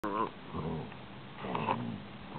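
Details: Basset Hound puppy, 12 weeks old, growling: a low, rough rumbling growl with a brief whiny harmonic rise at the start and a second rumbling burst about one and a half seconds in.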